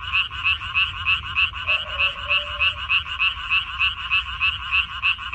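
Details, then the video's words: Frogs croaking in a water parsley field on 14 May 2021: a very regular series of short, raspy, bright notes, roughly three per second, while a fainter, lower drawn-out tone sounds briefly in the middle. "고향 생각 나게 해주는 개구리 소리, 미나리밭의 그놈들, Croaks of Frogs, Sounds of frogs, Song of frogs"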